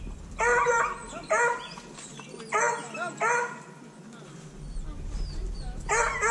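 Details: Kenneled hounds at feeding and pen-cleaning time, recorded on a GoPro Hero 5 Black: loud harmonic bays and yelps come in bursts about every second, with pauses between and a man's voice faintly underneath.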